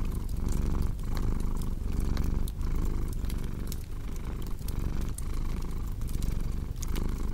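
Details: Domestic cat purring, paired with a crackling fireplace for relaxation and sleep; a steady low rumbling purr swells and fades with each breath roughly every 0.7 seconds, overlaid by sharp fire crackles and pops.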